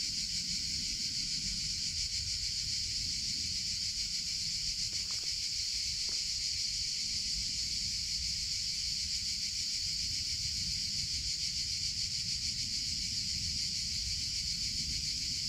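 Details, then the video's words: Cicadas in summer: a dense, continuous high buzz that pulses quickly and evenly without pause. A low rumble sits underneath, and two faint clicks fall near the middle. "CICADA SOUNDS - Sound Effect of Cicadas in Summer Sounds of Cicada (Chicharra, Campanero)"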